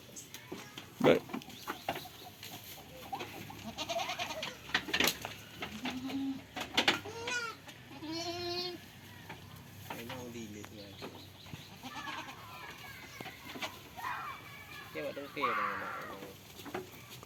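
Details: Goats playing and eating on a farm, with several tremulous, harmonic bleats spread through the recording, some short and some drawn out. Clicks, knocks and feeding noises sound in between.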